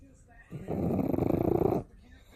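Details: Pug snoring loudly during a daytime nap, recorded close up; one long rough, rasping breath with a rapid fluttering pulse, over a second long, in a quiet small room.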